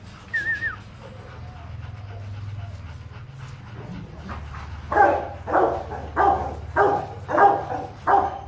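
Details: At the Gervi Rottweiler kennel in Vietnam, a Rottweiler stays quiet at first under low hum and a short chirp. Then, about halfway through, it breaks into six steady barks spaced roughly every half second.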